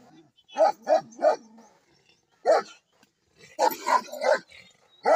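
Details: American Bully dogs in Pakistan barking: three quick harsh barks in a row, a lone bark after a pause, then a rapid cluster of four barks and one more, mid-pitched and rough.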